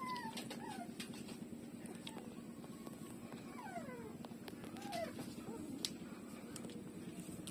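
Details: Street puppies breastfeeding from their mother, giving thin whining whimpers that slide downward, several scattered across the stretch, over constant low background hum and small clicks.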